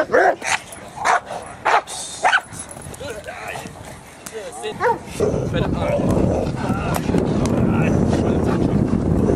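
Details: Dog barking during protection training at LA Harde Hond K-9 Academie, which trains Cane Corso, Presa Canario and Pitbull dogs; four sharp, loud barks come in the first two and a half seconds, then talking and a steady rushing noise.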